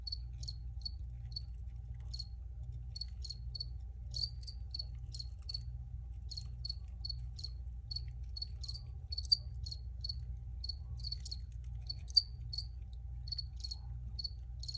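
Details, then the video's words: Crickets recorded for relaxation, their sharp, high, clicking chirps scattered irregularly and spaced apart, a few louder ticks standing out, above a soft steady low hum. "Free Cricket Sounds for Re-Use or Relaxation"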